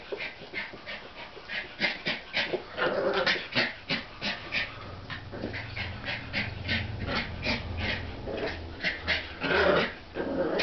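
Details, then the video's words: American Eskimo Dogs, a brother playing with his baby sister over a new toy, giving rhythmic huffing, grunting play sounds in quick, uneven bursts throughout, with rustling between them. "American Eskimo Dogs playing"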